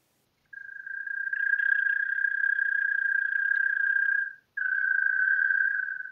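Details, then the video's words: Gryllotalpa gryllotalpa in Pabing, Austria, 31 May 2021, giving a sustained even churr on a single steady pitch, building in loudness over the first second, stopping after about four seconds and restarting after a short gap. "Gryllotalpa gryllotalpa -- Gewöhnliche Maulwurfsgrille -- European Mole-cricket"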